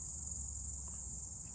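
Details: Crickets heard outdoors on a Sunday in nature, recorded a little closer; a continuous high-pitched shrilling runs without pause above faint low background rumble.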